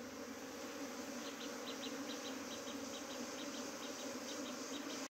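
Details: Buzzing bees at a hive that had tried to abscond, saved by a queen gate. An even drone continues throughout, while faint high chirps repeat in a rhythmic series over it.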